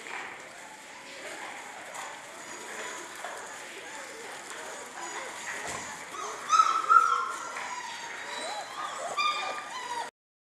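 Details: A litter of German Shorthaired Pointer puppies at six weeks old: a quiet stretch of faint background noise, then thin, high whimpers and short yips rising out of it in the second half, ending abruptly.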